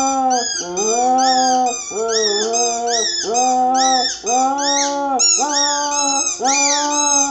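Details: Cocker spaniel singing indoors: long, drawn-out howled notes rich in harmonics, each swelling and sliding slightly up then down, strung together almost without pause over about seven seconds.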